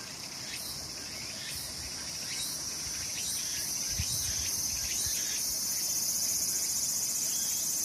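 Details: Cicadas calling in summer in the mountains at Sakurazawa, Yorii, Saitama, Japan; a dense continuous high-pitched shrilling drone with rhythmic pulsing swells about every second, over faint low rumbling background noise.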